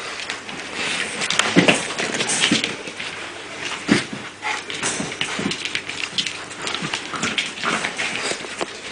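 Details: American Staffordshire Terrier (Amstaff) puppies, born 11.08.2009 and filmed 08.11.2009, give short squeaky yelps and whimpers, with a brief higher cry early on, amid frequent scuffling, clattering thumps and rustling close by.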